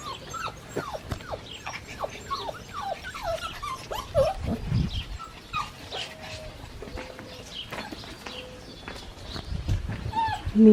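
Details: A litter of seven-week-old Australian Shepherd puppies at a breeding farm giving a busy chorus of short squeaky whines and yelps, several pups overlapping, with occasional low thumps and a brief clattering noise near the end.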